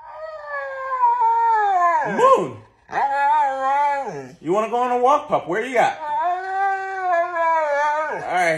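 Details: Moon, a pet Siberian Husky, vocalizes while playing with his owner: drawn-out, wavering husky howls and talking whines, rising and sliding down in pitch, several long phrases broken by brief dips, with faint human speech underneath.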